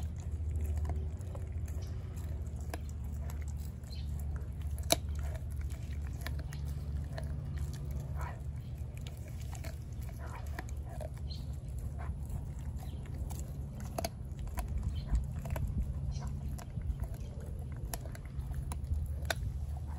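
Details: Four-month-old female American Blue Bay Shepherd puppy eating a raw turkey neck: irregular crunchy bites and sharp cracking clicks, wet gnawing throughout, over a steady low hum in a small indoor room.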